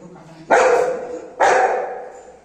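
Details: Anna, a Golden Retriever, gets angry with her mom because hot rice takes time to cool. Two loud, drawn-out, harmonic grumbling barks, each fading over about half a second, come roughly a second apart indoors.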